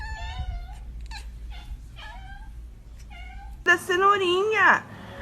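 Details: Pet cat meowing in a series of short, clipped calls, then one louder, wavering, drawn-out meow that rises and falls before breaking off; the space sounds like a small indoor room.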